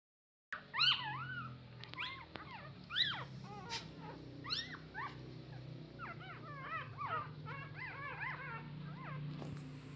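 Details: Puppy asking its mother for milk: a run of high, squeaky whimpers, each rising then falling, coming in irregular clusters, some doubled, over a steady low hum.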